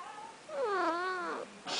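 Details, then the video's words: Indoor pet cat described as talking gives a long, loud meow that dips then rises and falls over nearly a second, ending with a brief burst of rustling noise. "Talking Cat"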